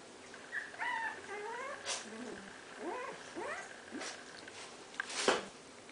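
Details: Four-week-old Tibetan Spaniel puppies, tired, giving soft high whimpers and short rising and falling squeaks in several bursts, with faint rustling and a steady background hum.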